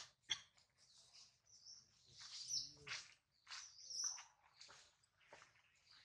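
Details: Crying baby monkey Adler, hungry and missing his mother, held by a small monkey: rapid, shrill, squeaky wails run almost continuously, with a few sharp clicks mixed in.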